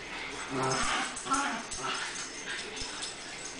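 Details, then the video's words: Sisters Tango and Mambo, rescued puppy mill breeder dogs, interact at play, giving a low harmonic growling whine that rises and falls in two quick bursts, with light knocks and a faint hiss behind. "Puppy Mill Rescues Tango and Mambo playing together"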